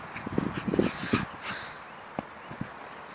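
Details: Patterdale Terrier playing football, giving a quick cluster of short, low, gruff barks and yips in the first second or so, then a few isolated thuds and soft knocks against a quiet outdoor background.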